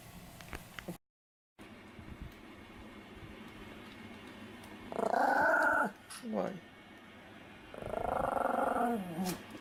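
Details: A sleeping Pomeranian dog, recorded 4 November 2015, snores in two long, rasping, voiced breaths of about a second each, separated by a pause. Soft background rustling is heard, and there is a brief gap of silence early on.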